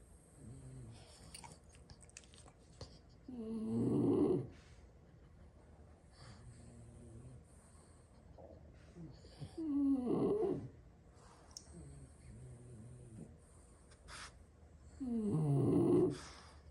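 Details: Slow, regular snoring from French Bulldogs napping indoors after plenty of play, six brothers sleeping where they dropped. Three raspy snores arrive roughly every six seconds, with soft breathing between them.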